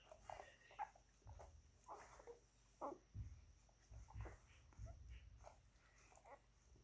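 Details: German Shepherd or Belgian Shepherd puppies, nine days old, nursing on milk; thin high whimpers and squeaks come in quick irregular bursts over low thumping and rustling in a small room.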